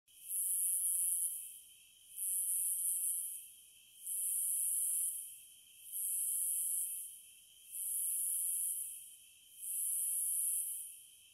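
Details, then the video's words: Cicadas buzzing in six high, hissing bursts of about a second and a half, repeating roughly every two seconds, above a steady, thin, lower-pitched hum. "Sounds of the Wilderness & Nature ASMR Study Rest Relaxation Sleep White Noise No Music - Cicadas"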